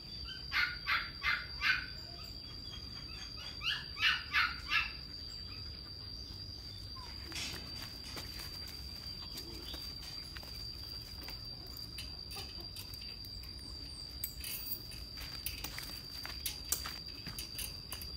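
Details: Young male German Shepherd barking in two quick runs of three or four harsh barks at the start, then quiet low rumble with scattered faint clicks and a steady high whine.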